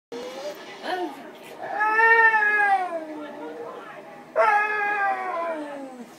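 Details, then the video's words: Pet dog breaking into a singing howl, with long wavering harmonic notes that rise and fall, a quieter stretch in the middle, then a strong renewed howl starting near the four-second mark. "The Singing Dog"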